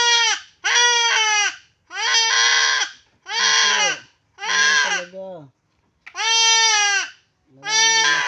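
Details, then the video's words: Castrated goat giving a series of about seven strained, wavering bleats, roughly one each second, some breaking into a rougher, lower tone near the end; no other sounds stand out. "kapon ng kambing"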